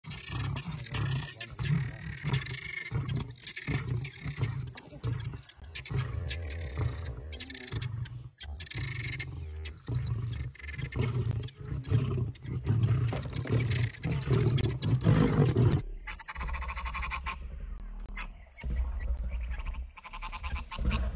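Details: Male lions fighting over a lioness: deep rumbling roars and growls in rapid bursts, with harsh broadband snarls throughout and a quieter, lower rumbling stretch near the end.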